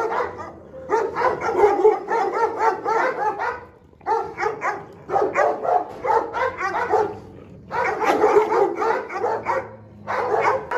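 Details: Food-guarding Presa Canario in a temper, giving rapid, rough barking bursts several per second in long runs, broken by short gaps.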